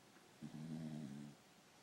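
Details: Tired Corgi snoring: one soft, low droning snore of about a second over a quiet background hiss.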